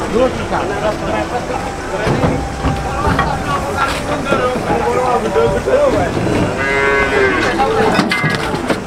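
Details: Loading cattle onto a truck at Boyolali's new cattle market, Indonesia: scattered low moos under busy chatter, then a strong, sustained bellow near the end before sharp knocks and clanks.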